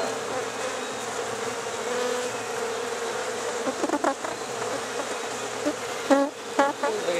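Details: Honey bees hived late at night in Rosharon make a steady droning buzz throughout, joined near the end by short bursts of a person's voice.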